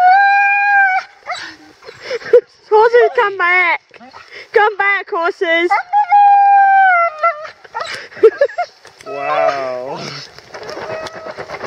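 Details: Roxie, a female Siberian Husky in Staunton State Park, Colorado, reacts to horses during a downpour with sustained high whines and choppy, warbling yelps in bursts, mixed with human voices and rain.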